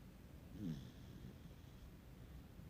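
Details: A puppy asleep gives a single short, low, gliding snore near the start, followed by quiet breathing against a low indoor hum.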